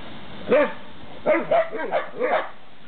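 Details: A group of Pharaoh Hounds in a garden in Czechia, one giving high, yippy barks: a single bark, then a quick run of four, each with a bent, wavering pitch, over a steady background hiss.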